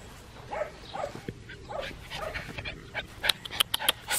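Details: A black tri male Australian Shepherd puppy, 10 weeks 6 days old, at an Oklahoma breeding farm, makes a run of short, rising whines about every half second, then sharp clicking taps close by.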